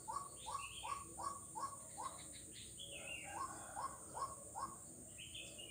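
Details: Frog recorded 4 November 2021 along Jalan Kolonel Sugiono in Kuala Kapuas, Central Kalimantan, giving quick rising notes in runs of several, roughly two per second, mixed with higher chirping calls over a constant high-pitched hiss.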